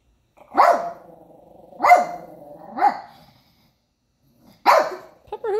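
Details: Pepper, a pet dog, barks at a man on television, giving three sharp barks about a second apart with growling underneath, a pause, then a fourth bark and a person's voice beginning.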